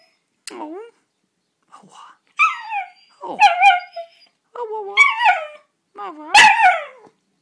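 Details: Floyd, a miniature schnauzer, gives a run of wavering, yodelling howls that swoop up and down in pitch, singing along to "How Much Is That Doggy in the Window" sung by a person.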